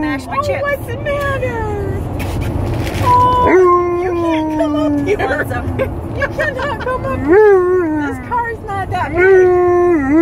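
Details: Alaskan Malamute named Tonka howling in a car on a road trip, long steady howls with wavering pitch and brief upward slides, repeated phrases over constant engine and road rumble.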